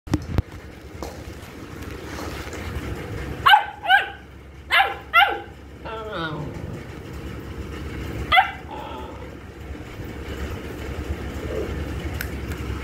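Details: Saint Bernard puppy giving a short run of sharp, rising barks and yelps around the middle, several in quick succession, then one more after a pause, over steady low background hum.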